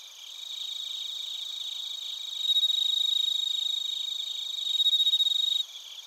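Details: Suzumushi bell crickets with other crickets in Narita, Chiba Prefecture, Japan, recorded on a TASCAM Portacapture X8; quieter rapid chirping gives way twice to loud, clear bell-like trills pulsing quickly, then drops back abruptly.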